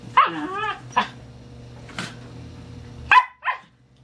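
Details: Several dachshunds together in a box give short, high yelps and a bent, wavering whine, then sharp rising yips near the end, all over a low steady hum.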